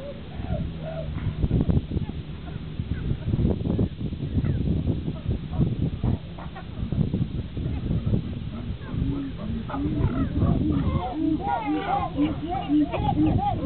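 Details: Captive chimpanzees Higgy and Juniper fighting, Higgy upset, other chimps in the group joining in: loud arched, wavering calls rise and fall in rapid series, building toward the end over thumps and general group clamour.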